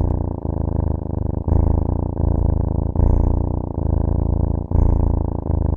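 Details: Cat purring: a low, steady rumble rising and falling in breathy cycles about once a second, with faint clicks at each change of breath.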